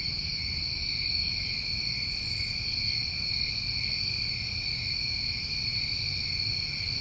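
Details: Steady shrill chirring from New England summertime crickets, constant in pitch and volume, interrupted once by a short, higher buzzy burst early on, with faint low-frequency noise beneath.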